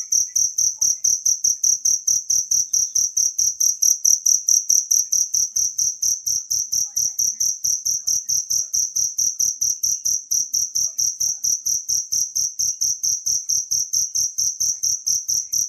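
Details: Long, unbroken run of high, ringing cricket chirps, natural sound used to master songbirds, pulsing about four times per second, with a softer dip around four seconds in.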